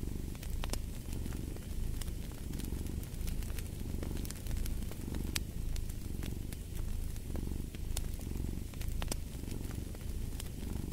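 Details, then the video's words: Domestic cat purring steadily in a low, rumbling drone that swells and fades with each breath, roughly every second, while a fireplace crackles and pops throughout with sharp snaps. "Purring of a Cat"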